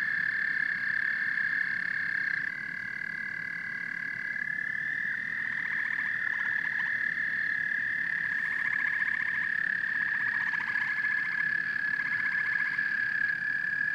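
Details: Frogs and toads calling together: a constant high trill with repeated bursts of rapid pulsed croaks stacking up over the chorus, several callers overlapping.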